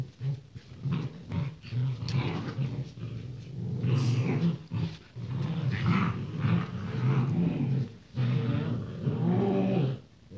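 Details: Rottweiler puppies born 28 January 2016, including males, growl in low, rumbling bursts with brief pauses between each rough stretch.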